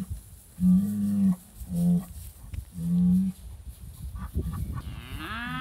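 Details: British White cattle herd riled up over an old cow hide hanging on a hay ring, July 2013, phone recording: three steady low moos, each about half a second to a second long, then a higher rising bawl from another cow at the end.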